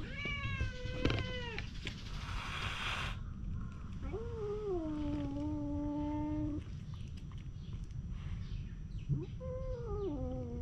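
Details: Stray cats fighting outdoors, a long drawn-out yowling wail that rises then holds steady for about two seconds, preceded by a harsh hiss-like burst and followed by another falling yowl, low rumble underneath.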